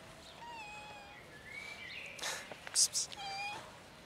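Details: Cats gathered on a bench, including a black kitten, giving thin, level meows, one early, a higher sliding mew, and another near the end, with clicks and rustling noise between.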